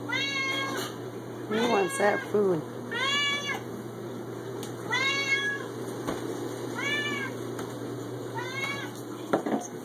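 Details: A 6-year-old male Siamese cat gives loud, drawn-out meows, each bending up then down, about every one to two seconds, as his owner offers him food.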